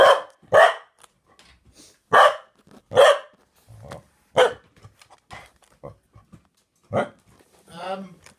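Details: Cardigan Welsh Corgi barking affectionately at its owner, with a second dog present; loud abrupt barks spaced about a second apart, a few softer grumbles between, ending in a wavering whine.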